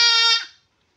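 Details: Goat bleating during castration: a single loud, steady, nasal cry lasting under half a second with a bright, richly layered tone, cut off abruptly and followed by silence.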